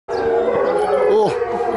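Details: Chinese wolf at Tennoji Zoo, recorded 23 February 2013, holding a steady, even howl for under two seconds, with a second voice bending downward near the end.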